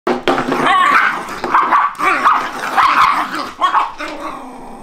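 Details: Two Shiba Inu playing at home, a six-month-old called Sprite and a three-month-old puppy called Milk Tea, prone to rough play-fights; continuous overlapping growling and higher yipping whines in uneven bursts, briefly pausing mid-clip.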